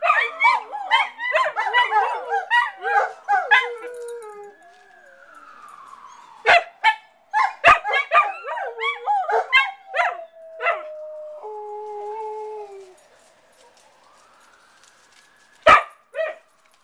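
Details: Pet dogs howling with a fire engine siren: a burst of quick terrier-like yaps and overlapping howls at the start, then scattered yips, a few steady held howl notes, the siren's fading sweep and a final sharp yap.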